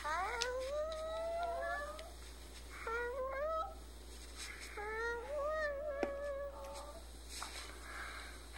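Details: A five-year-old male Chihuahua howls in drawn-out, wavering bouts that rise and slide, each about two seconds long, prompted by a person; his owner says he is sad because his female is in heat and he can't get near her.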